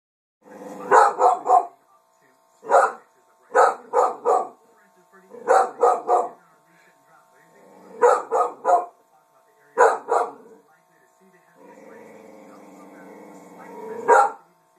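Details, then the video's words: Female dog barking indoors at her own reflection in a mirror; persistent bursts of two to four sharp barks separated by short pauses, ending in a drawn-out growl and a final bark. "Barks at Own Reflection"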